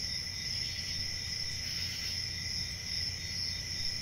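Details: Crickets chirping in a steady, unbroken chorus: a shrill high trill layered over a second lower ringing band, with a soft low rumble underneath and no other clear sounds.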